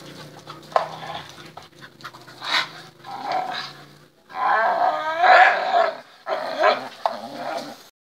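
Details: A tricolor Bull Terrier gives harmonic, vocal growls and grumbles in irregular bursts during play.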